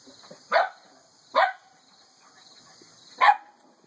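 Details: Boston Terrier puppies giving three short, sharp yapping barks, spaced unevenly at roughly one and two second gaps, each a bright burst with a brief falling tail, over a faint steady high-pitched hum.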